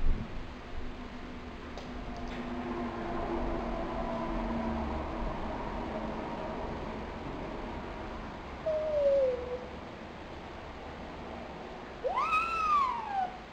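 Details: Lonely pet dog Pochi, nine months old, recorded February 12, 2007: faint low whimpers early on, then a short descending whine and finally a louder arched cry rising sharply and falling, with steady background hum.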